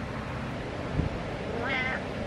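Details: House cat joining its owner's workout, giving one brief, level meow late in the moment over a steady background hum and a single low knock.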